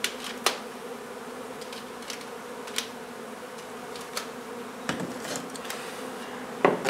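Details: Honey bee colony being removed from an old home under renovation in Donna, Texas, on a hot day: a steady low droning hum with layered harmonics, broken by sharp knocks and clicks of the removal work.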